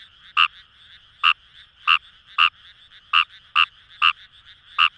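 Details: In rice paddies of Itoshima, Fukuoka, Japan, a Fejervarya kawamurai gives loud, brief croaking notes spaced about half a second apart, eight in five seconds, over a continuous background frog chorus.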